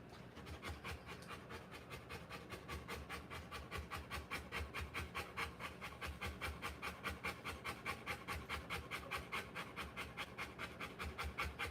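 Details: Rottweiler mother panting while giving birth to puppies: fast, even breaths repeated about two and a half times per second, steady throughout with a soft rasp.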